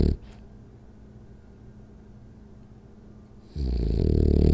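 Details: Rolly, a French Bulldog, snoring through a power nap indoors: a long quiet stretch of low rumbling breath, then a loud, harsh, rattling snore swelling near the end and holding for about a second.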